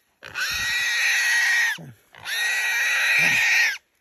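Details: Feral hog caught by Belgian Malinois dogs during a hog hunt, squealing: two long loud harsh screaming squeals, each about one and a half seconds, separated by a brief gasp.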